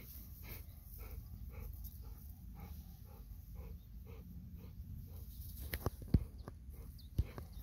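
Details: Golden Retriever on an early-morning walk between rice paddies and a river, breathing in soft, even pants roughly twice a second, then a few sharp knocking footfalls near the end.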